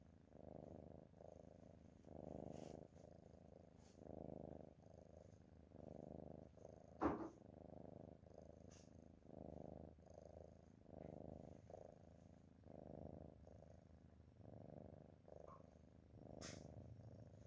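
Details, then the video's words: Low, buzzing snores from a sleeping cat come in regular breaths, roughly one every second, with occasional light taps and clicks in the background. "Nice Cat Snoring"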